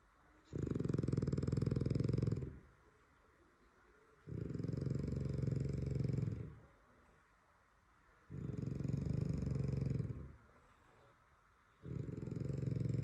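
A French Bulldog snores in deep, rumbling breaths, each lasting nearly two seconds and repeating every four.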